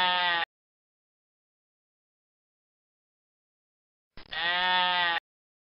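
A goat gives a wavering, nasal bleat after a clipped fragment of an earlier one.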